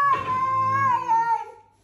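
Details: Stray cat in a quarrel, one sustained, steady tonal yowl held nearly two seconds with a rich stack of overtones, dipping slightly toward the end before fading out.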